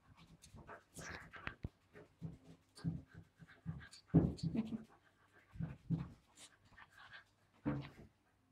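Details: Charlie, a wire fox terrier kept indoors, pants in short breathy puffs with small scuffles while playing with an invisible ball.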